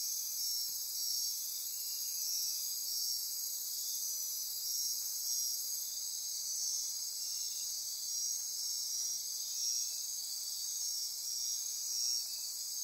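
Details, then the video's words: Midnight rainforest insects on Costa Rica's Osa Peninsula near Corcovado National Park: a continuous shrill wall of trills and buzzes, several high tones overlapping and throbbing softly throughout. "Midnight Insect Chorus"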